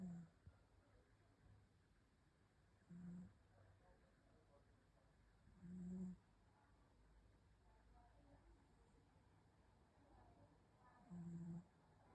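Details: Sleeping cat snores in short low hummed bursts spaced irregularly, about three to five seconds apart, with faint rustling in between.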